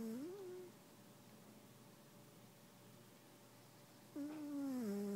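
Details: Sleeping cat snores with humming tones, a short rising-then-falling note at the start, then silence, then a longer tone that sags downward near the end.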